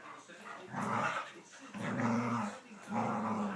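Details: Teddy, a nine-month-old Cavalier King Charles Spaniel learning to jump onto a bed indoors, gives three low, rough growling bursts about a second long, separated by short pauses.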